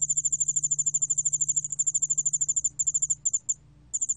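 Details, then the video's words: High-pitched trilling song of the yeoul-allak-bangulbeolle cricket from Korea's National Institute of Biological Resources, 2020. Fast, evenly spaced pulses run for about three seconds, then stutter and stop briefly before resuming, with a faint steady low hum underneath. "여울알락방울벌레, 여러번 듣기, 곤충소리"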